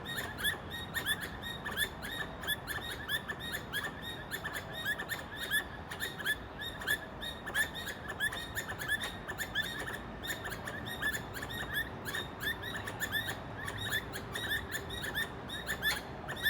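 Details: Squirrel whose calls were mistaken for birdsong, giving short, sharp chirps repeated about one and a half times per second in an uneven rhythm over a steady hiss of background noise.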